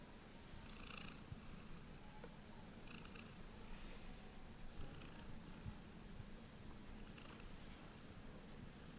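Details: Heliana the cat purring through a belly rub, a steady low rumble that carries on without a break, with faint rustling and a few soft clicks above it.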